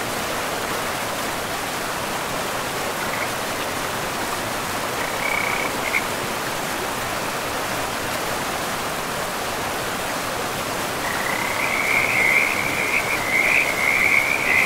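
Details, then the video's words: River-side frogs in a pristine forest with moss-covered ground: a few brief trills near the start, then quiet under steady water noise, before a loud, sustained trilling chorus rises in the final seconds. "River and Frogs sleep sounds 10 hours"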